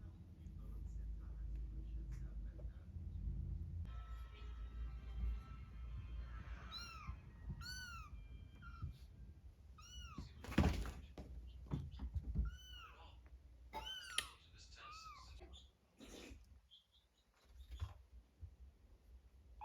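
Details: Cat and kittens: after a few seconds of a faint steady tone, a string of sharp, high, downward-curving mews repeats roughly every second or two, with a few knocks and handling sounds in between.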